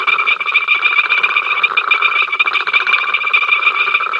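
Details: Crowd of frogs croaking at Ol Donyo, captured by the africamLIVE live camera, 05 October 2023: fast stuttering pulses repeated many times per second over a ringing trilled drone, an unbroken racket.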